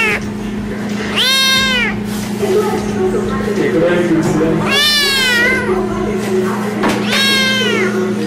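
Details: Kittens meowing: three loud, high, arching meows with rich harmonics, each about half a second, spaced a few seconds apart, with softer mewing, voices and background music between them.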